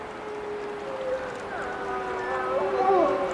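Wolves howl in long, smooth tones, one voice holding steady before others join with bending, wavering notes.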